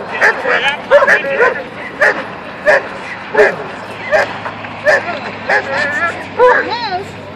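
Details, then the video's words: Trained German Shepherd in an attack-training session, taught to attack only on command; forceful barks repeated roughly every half second to second, interleaved with a man's voice giving praise. "German Shepherd attack training"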